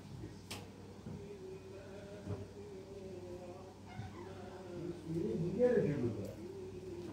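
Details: A cat meowing in a series of drawn-out, wavering meows, each slightly rising then falling, growing louder and more insistent toward the end, with faint human voices and low background hum.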